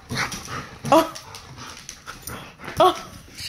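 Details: Dog, a Labrador teasing a Dachshund indoors over a toy: two short, high whimpering yips about two seconds apart, each with a tonal, slightly bending pitch, mixed with a person talking throughout.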